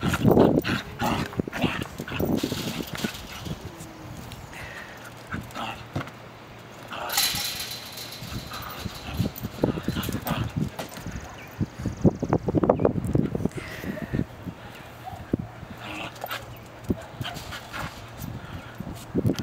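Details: Wire fox terrier, a pet male, playing with his basketball; short sharp barks and whimpers in irregular bursts, with thumps of the ball and scuffling, plus some speech in the background.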